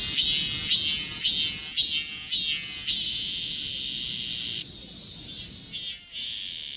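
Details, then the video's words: Shrill cicada song captured with a Galaxy S24 Ultra: five sharp pulsing surges roughly every half second, then a continuous high whine that briefly drops in loudness and returns as a steady, slightly higher buzz. "매미 울음"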